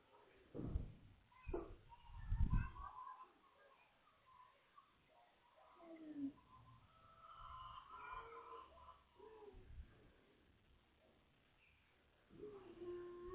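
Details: Beagle crying from hunger: faint high whines, some sliding and some held, mixed with low thumps and handling noise, and a longer steady whine near the end.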